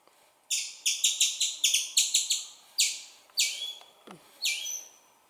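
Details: Squirrel; chirping call; young calling its mother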